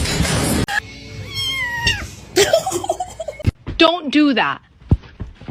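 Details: Pet cat from a funny-cats clip meowing over music and human talk: a short sliding call early on, then a louder wavering meow that rises and falls, with a clicking, busy background.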